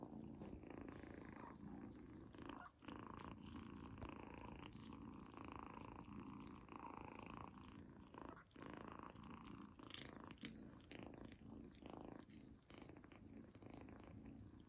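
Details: A female kitten named Izzy purring as she eats a treat for the first time; a continuous low vibrating rumble with uneven surges, interrupted now and then by crunchy eating sounds.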